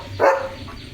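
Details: Leo, a German Shepherd, on an evening sunset walk through farm fields, gives a single short, harsh bark that rises and falls quickly over a quiet background.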